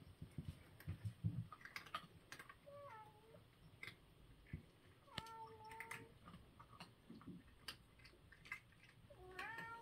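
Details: Domestic cat eating breakfast, its dry crunching clicks spread throughout, broken by a few brief falling mews in the middle and a rising squeak at the close; low rumbling underneath.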